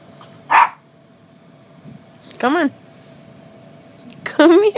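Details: Chihuahua named Mr. Charlee, indoors, barking and crying because he wants back on the bed after jumping off: three short high yelps with wavering, whiny pitch spaced over a few seconds, while a person calls him to come.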